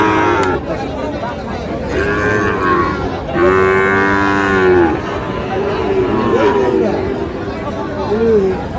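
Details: At the twice-weekly Khochabari market in Parbatipur, Dinajpur, Sahiwal bull calves low repeatedly: several overlapping moos, one strong held call in the middle and a brief upward-curving call near the end, over loud crowd noise.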